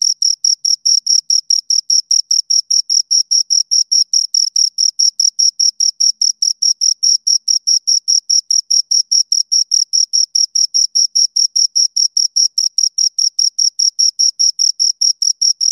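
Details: Rapid, metronome-like chirping of two crickets, a long unbroken series of high, thin pulses repeated about four to five times per second at constant loudness, with no background noise.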